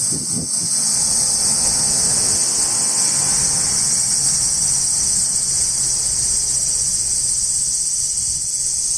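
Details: Summer insects singing in trees in Japan during hot weather: a steady shrill high-pitched whine runs through the whole recording, opening with a brief low rumble, then continuing smoothly without breaks.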